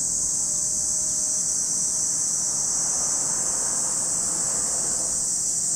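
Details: Steady, high-pitched shrill drone from massed cicadas by Lake Kamo, Sado City, Niigata, Japan, continuous without pauses, over a soft low rumble.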